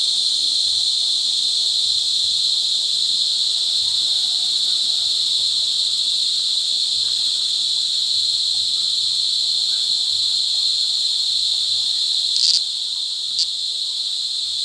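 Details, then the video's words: In La Carlota City, Negros Occidental, during July 2020 cicada season, mating cicadas keep up a loud, steady, metallic high drone, broken by two brief sharper bursts near the end. "Pinaka Maingay na Insekto sa Buong Mundo | Cicada Season | Cicada Mating"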